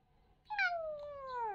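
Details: Playful kitten lets out a single meow about a second long, opening with a sharp rise then gliding smoothly lower, clear and tonal against a quiet indoor background.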